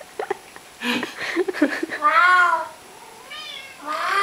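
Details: Domestic cat meowing back and forth with its owner in conversation: a person's voice speaks briefly, then the cat answers with a drawn-out, arching meow, followed by two shorter rising meows.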